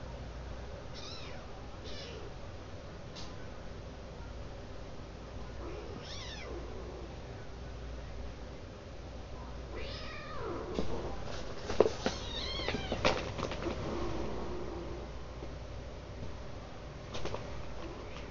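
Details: Four six-week-old foster kittens, two tabby females and two tuxedo males, playing while one is sleepy; several short, thin meows scattered throughout, clustering mid-recording, with rustling and a steady low hum.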